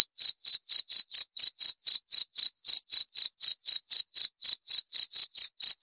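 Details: Cricket chirping in a steady run of short, high-pitched pulses, about four per second, each a bright, clean tick with a faint higher overtone; no other sounds.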